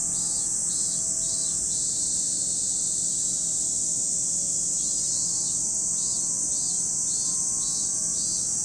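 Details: At Lake Kamo, Sado City, Niigata Prefecture, Japan, cicadas keep up a continuous high, hissing drone, while a lower pulsing buzz comes and goes in bursts at the start and end.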